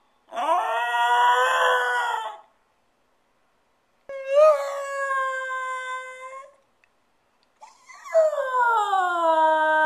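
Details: Left alone for ten minutes, Stewart the spoiled pet dog gives three separate drawn-out howls with silent gaps between them; the last one slides slowly downward in pitch.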